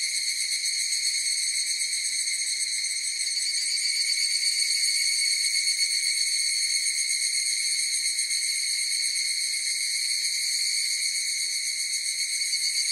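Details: Sustained chorus of higurashi cicadas, an even, piercing, rapidly pulsed ring that swells faintly midway and never pauses; nothing else is heard beneath it.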